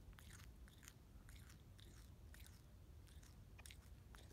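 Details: Grass-eating quokka; sharp crunchy bites come in quick clusters about every half second, clean and close, with low background hum.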